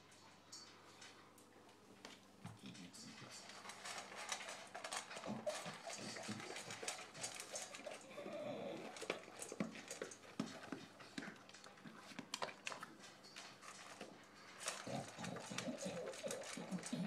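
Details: Recently adopted English bulldog noisily eating its dinner indoors: a rapid, irregular stream of wet chomping, snuffling and snorting grunts, growing louder after the first seconds, with a person asking it softly whether it is hungry.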